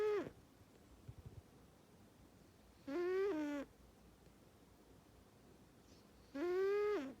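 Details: Panda Bear, a male cat, asleep and snoring very loudly while his best friend Jax sleeps on. The end of one snore is followed by a few soft clicks, then two long, nasal, tonal snores roughly three and a half seconds apart.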